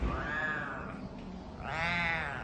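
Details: Cat giving two drawn-out, harmonic meows. Each arches up and then falls away, and the second is louder, higher and more strained, after a brief pause. Low room noise is underneath.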